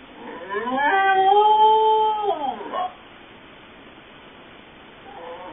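A Corgi gives a long, clear howl that rises, holds steady, then slides down.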